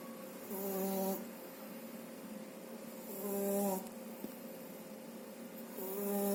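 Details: Snoring French Bulldog pup Shturm, younger than two months, dozing after a meal; three drawn-out wheezing snores with a whistled tone, spaced about two and a half seconds apart, calm indoor setting.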